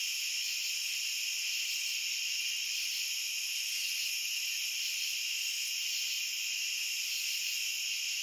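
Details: Crickets in a dense, unbroken chorus: a steady, shrill ringing layered at several high pitches, with no pauses, no distinct separate chirps, and no other animals or background noises.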